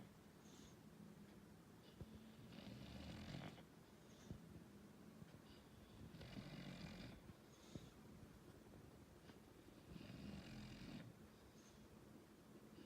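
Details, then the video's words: English Bulldog snoring: steady low, rattling snores with hissy exhale bursts roughly every four seconds, three full breath cycles in a quiet room. "English Bulldog snoring"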